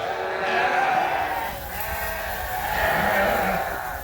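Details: Farm sheep in Canada bleating at dusk while waiting to be fed; two long, loud, quavering bleats with strong harmonics, one around the first second and another near the third, overlapping in a group.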